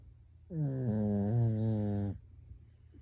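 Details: Human-like snoring from a home Pekingese dog while it sleeps: one drawn-out, low, resonant snore about one and a half seconds long with a slight pitch wobble midway, then quiet room tone.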